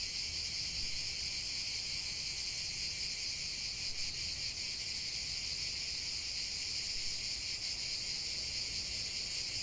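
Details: Many cicadas singing together make an even, high-pitched electric buzz that never breaks or fades, with a gentle shimmering pulse and no other clear voices.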